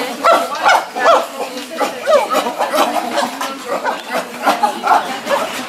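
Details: Chimpanzees from the CCC medium-sized group are going out through a tunnel to their outdoor enclosure. Their short, rising and falling excited cries repeat in quick, uneven bursts, with a steady murmur behind them.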